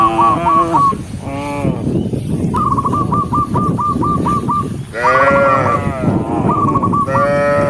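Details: Dozens of tame cows walking along a forest road while being herded; several moos, some short and rising, one long and wavering, alternating with a long run of rapid, repeated high chirps.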